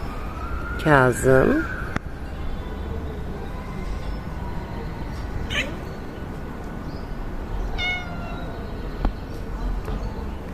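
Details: Kittens being fed yogurt, among them Simba and Piyer; one loud harmonic meow near the start with falling stacked tones, a shorter mew midway and another near the end, over steady background hum and a constant tone.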